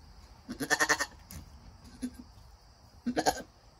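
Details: Nigerian Dwarf goats during a doe's birth of a doeling kid, with the mother encouraging her newborn: two bursts of harmonic, wavering bleats, the first about half a second long and the second shorter, with a brief soft call between them.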